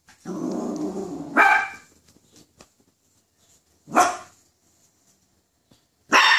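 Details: Poodle scared over a toy poodle: a low rumbling growl at the start, then three separate sharp barks spaced a few seconds apart, with faint movement noise between.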